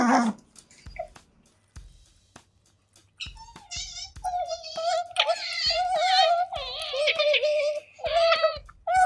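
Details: Two pet otters, Kotaro and Hana, eating indoors and recorded close up with a microphone: high, wavering squeaky whines in quick runs, several bright overlapping calls after an opening stretch of small clicks and quiet.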